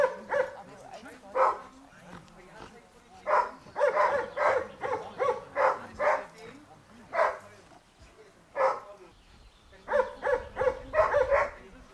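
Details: Dea, a Giant Schnauzer in protection training, gives clusters of loud barks separated by quieter pauses. Faint background sounds are audible between the bursts, and a low rumble is heard near the end.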